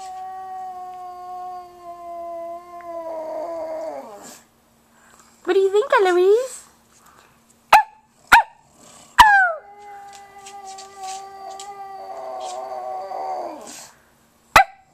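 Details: Pet pug howling with a fluffy puppy nearby: two long, steady tonal howls that waver and drop at their ends, split by a short burst of rising-falling yelps and some sharp knocks.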